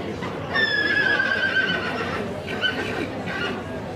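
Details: A yearling Welsh Cob type colt whinnies: one long, high, shrill call that slides slowly downward, then two shorter bursts, with a light background murmur.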